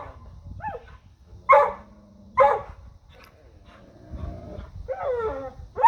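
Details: Dogs barking at a deer: two loud, sharp barks about a second apart, framed by high, wavering whines and yelps that rise and fall, with a further bark cut off at the end.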